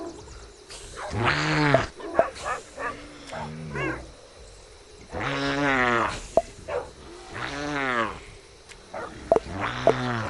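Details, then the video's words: Koala making strange noises: a few drawn-out, arching harmonic wails about a second long, rising then falling in pitch, coming in bouts with short pauses and faint clicks between. "The Koala Makes Some Strange Noises!"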